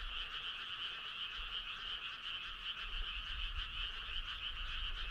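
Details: Many frogs on a midsummer night fill the air with a continuous, layered trilling chorus, bright and buzzy, holding at a constant level without pauses, over a soft low background hum.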